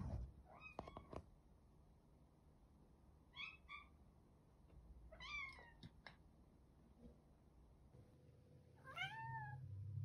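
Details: Domestic cat giving short, separate meows spaced a second or two apart, each a quick rising then falling cry, with low room rumble and a faint steady hum underneath; a person asks what it is.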